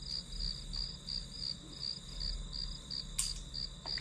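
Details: Rhythmic high chirping of grass insects as study ambience, short bright pulses about three per second, broken by a couple of small clicks or taps, low hum underneath.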